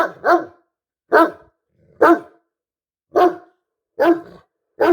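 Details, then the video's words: Great Dane, one of two housemates, turning its attention toward the person filming: deep, loud barks repeated about once every second, each a short harsh burst, in a quiet indoor room. "Great danes make strange noise"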